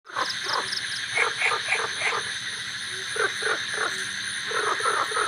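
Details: On a rainy-season night in a village, golden frogs and cola frogs form a mixed chorus of rapid, overlapping croaks and chirps, with steady cricket trilling behind.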